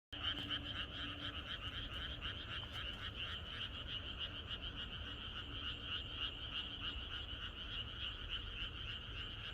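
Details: A chorus of frogs croaking in the countryside at night, the night before rain; dense overlapping croaks pulse rapidly and continuously in two stacked bands, with a low rumble of background noise underneath.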